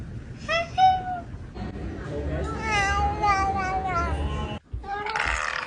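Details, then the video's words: Cat meowing in several drawn-out, wavering calls: a short bright meow early on, then a long rising-and-falling meow run lasting about two seconds, a brief silence, and one final meow with a low rumbling background throughout. "The healing sound of cats"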